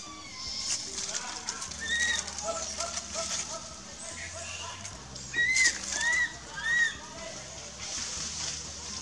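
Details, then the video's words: Baby monkey in a provincial park in Cambodia crying for its mother: thin, high, arched whimpers, several in quick succession near the middle and end, over steady background hiss and watery splashing. "Cute baby monkey cries for mommy"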